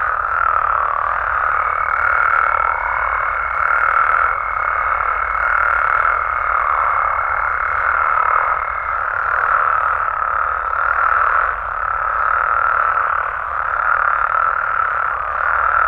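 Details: Nighttime chorus of frogs and toads in Mexico: a continuous, thick mass of croaking voices at a steady mid pitch, with a thin, level high tone running through the first half before fading out.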